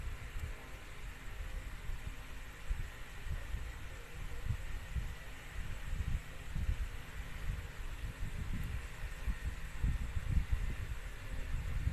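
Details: Low, throbbing rumble with a steady hum and faint hiss throughout, with no animal voice heard.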